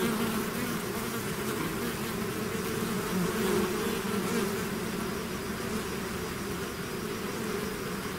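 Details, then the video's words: A swarm of bees out of its hive fills the air with a steady, dense buzzing, a continuous low hum with layered drones around mid-low pitch and a faint wavering texture, no other sounds. "bees therapy swarm natural buzzing sound"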